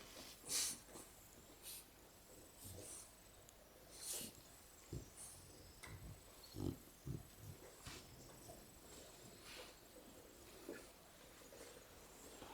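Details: Shar Peis Botox, Jasmine and Peewee cuddled up asleep, snoring and snorting in a loose rhythm roughly every second or two, each breath a short rough burst with airy hiss, some louder than others.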